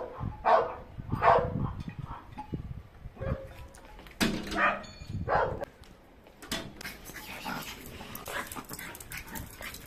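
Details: Chihuahua giving a few yappy barks in the first half, some in quick pairs, followed by a stretch of shuffling and rustling background noise with no clear barking.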